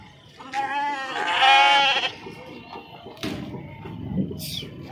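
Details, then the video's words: Sheep being unloaded at Pebbair sheep market, some jumping down; one loud wavering bleat lasting about a second, with faint background chatter and scattered thumps. "sheeps beautiful sounds"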